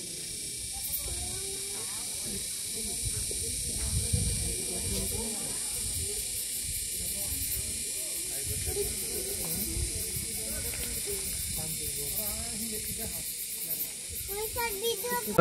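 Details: Crickets at a viewpoint over the Sangu river in Bandarban: a continuous high shrill ringing fills the whole stretch, with faint pulsed trills above, beneath speech and some low wind rumble.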